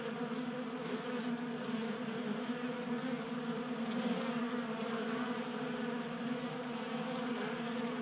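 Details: Many honey bees crowd a 3D-printed table feeder in a Colorado garage during unseasonable January warmth. Dense continuous buzzing hum, slightly swelling midway, a few faint high clicks.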